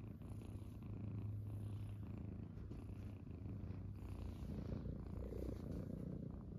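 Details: Several Munchkin cats lying on a person's belly in the morning make a deep continuous purr, an even low rumble that swells slightly and holds steady throughout, in a quiet room.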